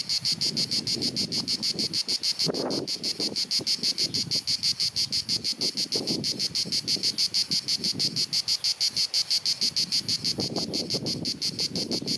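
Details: Cicadas singing through a hot sunny summer afternoon in Dalmatia, Croatia, recorded with a compact camera: an incessant high pulsing buzz about three times a second over gusty low wind or handling noise.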